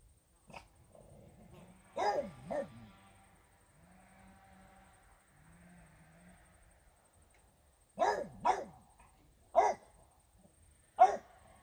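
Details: Regis, a French Bulldog, barking at fairies: an early double bark, a soft whining hum in the pause, then a burst of four punchy barks spaced a second or so apart.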